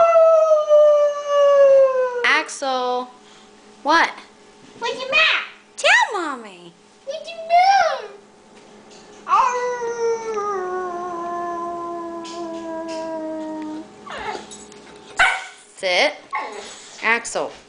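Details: Indoor Boxer named Axel crying to go out to the garage: a string of varied whines, yelps and long descending howl-like moans, some sliding steeply, with pauses between, mixed with a woman's voice coaxing him.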